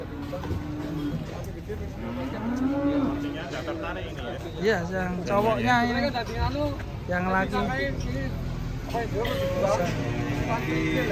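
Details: Cattle at a farm pen in Indonesia, a long steady low moo near the start amid constant speech, background music and a faint high electronic whine.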